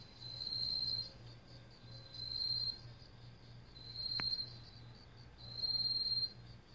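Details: Autumn katydid (yeochi) in a vegetable garden: four metallic, whistle-like buzzing bursts about a second apart, each a steady high trill like blowing a whistle holding a steel bead, with one sharp click midway.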